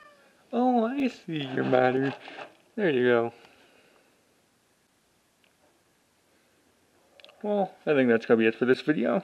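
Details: Pet cats indoors in a small room, including one called Apollo, giving a few drawn-out, wavering meows early on, then a quick run of several more near the end, with a person talking to them in between.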